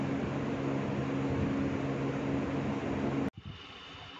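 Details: Steady broadband engine-like hum with a low drone runs for about three seconds, then cuts off sharply into near quiet; no animal sound is heard.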